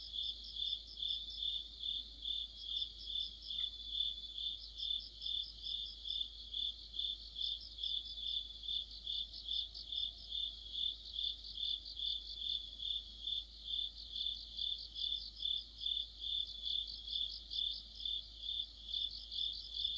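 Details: Autumn orchestra of crickets with other insects: shrill, bright trilling that throbs in rapid, even pulses of a little over two per second. It runs without pause through the whole stretch, with quiet background hiss beneath.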